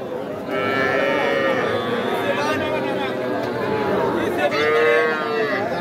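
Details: Young cattle for sale at Aftabganj cattle market, Nawabganj, Dinajpur, 5 September: two longer wavering moos, the second louder, sound over steady market chatter and speech.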